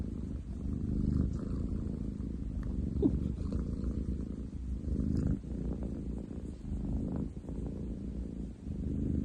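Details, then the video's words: Male munchkin cat with long legs purring loudly indoors, 30/07/2023; a dense, grinding low rumble alternating between inhaled and exhaled phases, about thirty swells a minute, continuous throughout. "工事現場並みに喉を鳴らす猫。Cat purr like construction site!?"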